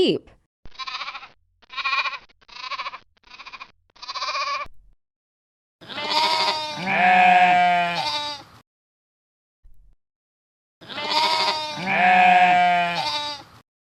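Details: A sheep gives two long, wavering bleats, each about three seconds, after a run of short spoken syllables.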